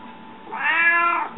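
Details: Hungry house cat meowing in a room: a gradually rising, then slowly falling drawn-out meow, smooth and tonal, followed by a short thump at the very end.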